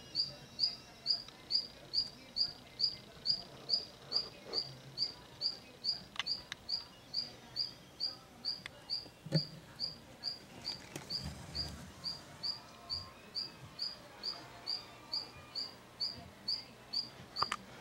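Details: Group of Mantella ebenaui, adults with froglets, feeding; a long run of evenly spaced high chirps, each a tiny rising flick, roughly two per second, with faint knocks and low rustling beneath.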